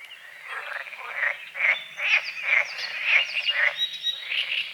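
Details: At dawn over a small lake by the forest, frogs give short raspy croaks in quick succession, over two per second, with thin bird whistles and chirps above them.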